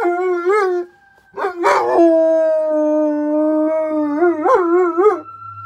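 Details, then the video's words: A dog named Arwen howls at sirens with a wavering start, a short break, a rough yip-like burst, then a long steady howl that ends in quavering wobbles. A faint steady siren tone lingers at the end. "GUARANTEED TO MAKE YOUR DOG HOWL"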